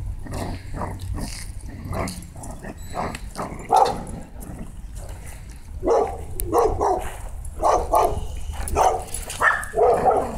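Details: Dogs play fighting, a Corgidor named Sasha against a Ridgeback and a Pitbull: bursts of rough growling and snarling barks come in uneven clusters, several voices overlapping, with scuffling and heavy low rumble throughout.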